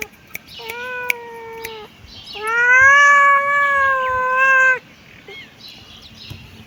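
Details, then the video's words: Kitten meowing twice: a short, steady, clear-toned meow, then a longer, louder, slightly rising and falling meow lasting over two seconds, with faint clicks and rustling in a quiet indoor setting. "Cute kitten meowing"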